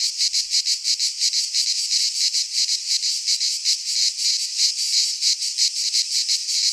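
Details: Midsummer cicada chorus from a pine forest in Greece, a harsh, high, unbroken buzz that throbs in quick regular pulses, roughly three per second, nothing else audible.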